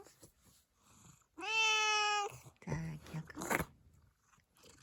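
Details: Black-and-white tuxedo cat Zakio at home, replying to its owner during a grooming session: one long steady meow of nearly a second, followed by soft licking and mouth noises close by.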